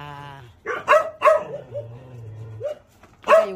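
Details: Dog barking indoors among household talk: a short run of sharp, clipped barks in quick succession, then a pause and a single final bark, with a low steady hum underneath.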